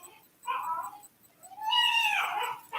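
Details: A boarded puppy, expected to reach about 50 pounds, cries with separation anxiety from being carried around constantly by its owner; two drawn-out, wavering whines, the second higher and louder, in a quiet room.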